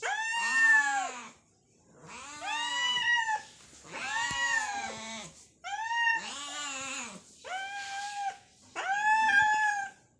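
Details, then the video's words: Two hungry cats meowing while fighting for food indoors; long, loud, drawn-out wailing meows with arching rich harmonics, five separate calls each lasting about a second or more, separated by short silences. "Hungry Cats meowing fight for food...Two cats meowing.."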